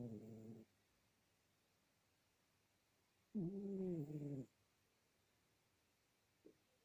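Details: Domestic cat snoring while asleep: two low, harmonic, droning snore bursts, one short and one about a second long, separated by about three seconds of quiet breathing.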